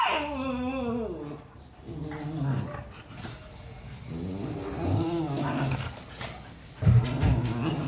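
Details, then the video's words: Siberian Husky mother teaching her pups discipline: a sequence of wavering, moaning growl-talk phrases, each sliding downward, separated by brief pauses, with a harsher burst at the close. "Husky mom teaches pups disciplines"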